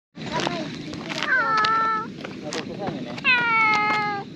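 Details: Tuxedo cat with an odd hairdo, a stray from a cat island, meowing as if talking to a person: two drawn-out, slightly rising then falling meows about two seconds apart, a person's soft voice and outdoor background noise.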